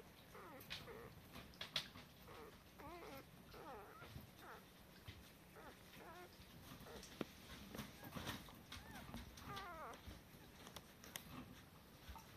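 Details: Cardigan Welsh Corgi puppy, male number four from the mother Shar's litter: a steady run of high, squeaky whimpers and whines, rising and falling, several per second, with soft rustling and light background hiss.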